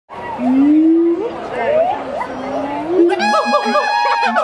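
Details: Siamang gibbons howling at Miami Metrozoo: drawn-out, slowly rising tonal glides, then quicker upward whoops, giving way to a burst of harsh, rapidly pulsed barking notes, with human chatter in the background.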